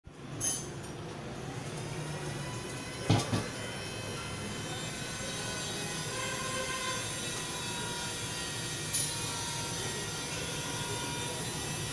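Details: Rolling train noise with squealing wheels and a few clanks fills the whole stretch, with no animal sounds.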